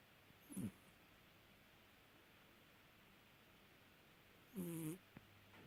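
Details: Snoring cat, two slow breaths roughly four seconds apart, each a short hoarse rasp with a low, wavering hum and a hissy edge. A faint click follows the second breath in an otherwise quiet setting.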